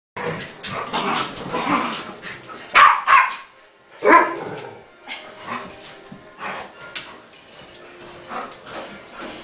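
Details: Greyhound Rolly and Westie Charley chasing each other around the house on New Year's Eve, giving a few loud, sharp barks among scuffling and rustling household noise.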